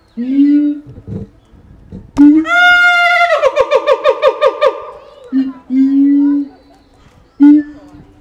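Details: Keiji, a captive siamang at Higashiyama Zoo, Japan, known to call most often first thing in the morning, recorded 17 January 2023 on a FUJIFILM X-S10: low resonant booms, then a rising harmonic whoop breaking into fast pulsed barks, then more booms.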